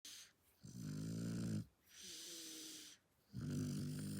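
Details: A sleeping Shar Pei dog snores in a quiet room, three low rumbling rattly inhalations with softer whistling breaths between them, a steady slow rhythm.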